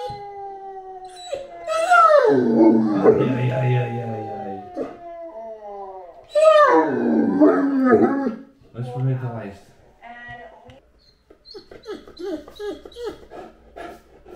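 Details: Anúbis, a Great Dane, lets out two strong howls that swoop down from a high start and waver, then gives softer whimpering notes. Human voices and music are heard alongside.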